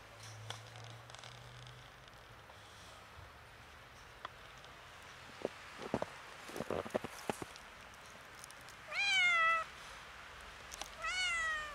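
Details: Kitten, a little scared, seeing snow for the first time: after scattered crunching and clicking sounds, two loud, clear meows near the end, each a short falling-then-rising cry, about two seconds apart; faint low hum at the start.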